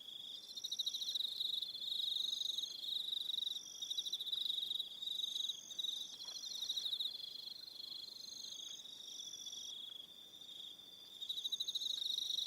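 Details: A New Zealand evening on Aroha Island, filled with crickets: bright, rapid trilled pulses from several callers, rising and falling in loudness over the clip, with a quieter stretch near the end before the chorus returns.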